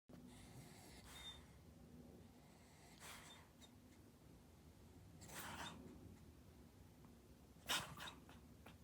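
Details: A Toy Poodle with a strong snoring habit. Its loud, breathy snorts come about every two seconds, each a short rasping burst, against a quiet indoor background.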